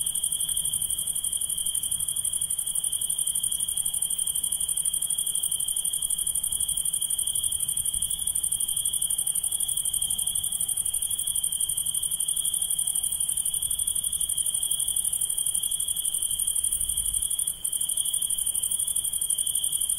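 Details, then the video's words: A nighttime insect chorus keeps up one level, ringing high trill for the whole stretch, topped by a faint sizzling overtone, with only a brief soft click near the end. "Relaxing Insects Sound"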